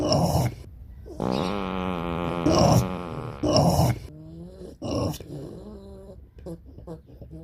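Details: A pot-bellied pig lets out a sustained, tonal, growl-like grunt, then harsher broken bursts, ending in softer short grunts that fade over the last few seconds.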